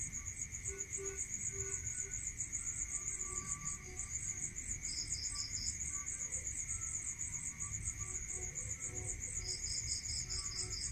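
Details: Crickets calling at night in a rural setting, an unbroken high, fast pulsing chirp joined twice by short bursts of a lower-pitched trill, with faint scattered low sounds and a persistent tonal hum.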